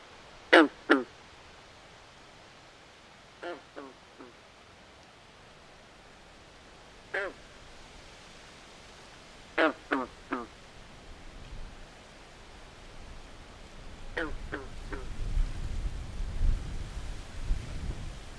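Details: Frogs calling at night in a swamp: harsh, duck-like croaks in clusters of two or three, spaced several seconds apart, with a low rumbling noise building toward the end.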